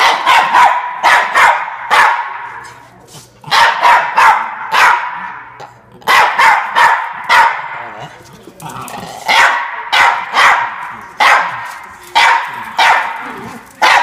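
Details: Norfolk Terrier named Ernie defending his bean bag chair, giving sharp, bright barks in quick bursts of two to four, with brief pauses between bursts and faint background sounds.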